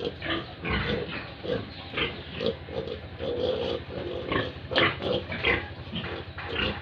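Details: Grunting pigs and piglets at a farm in Tripura, India, steady rhythmic low grunts from several animals with occasional higher squealing notes mixed in.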